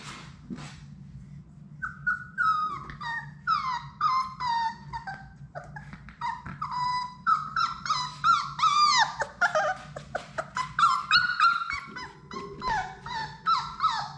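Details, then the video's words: Playing Labrador Retriever puppies, a litter of six in their indoor play room, give dense overlapping high whines, squeaky yips and rising-falling squeals, several pups calling at once, over a constant low electrical hum. "Labrador puppies at play!"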